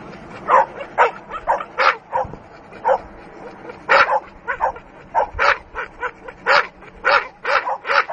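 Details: Dogue de Bordeaux attacking, barking in rapid bursts of short harsh barks, often paired, about two per second, steady throughout.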